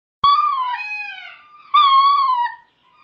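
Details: Ring-tailed lemur giving a mating call to a group of females in the distance: two long, wailing, harmonic cries, each sliding slightly downward, with a short pause between them in otherwise quiet surroundings.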